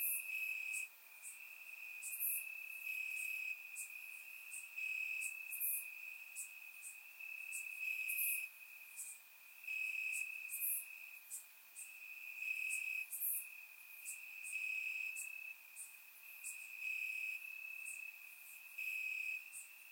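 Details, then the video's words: Crickets in the grass on a warm Bulgarian summer night: a sustained piercing trill under repeated bright chirp bursts arriving about every second, rising and dropping in loudness. "Cricket Sounds - Crickets Chirping at Night"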